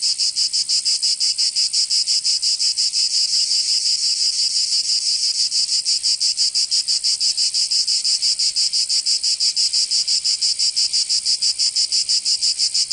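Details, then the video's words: Loud summertime chorus of cicadas in Provence, southern France, a dense sizzling buzz beating in quick, very regular pulses for the whole stretch. "Canto Cigarra 🦗 [ Escuchar les cigarras en verano"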